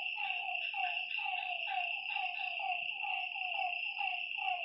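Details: Frogs calling at night by a lakeside: short, falling croaky notes repeated roughly once a second, several overlapping, above a steady high insect trill that runs throughout.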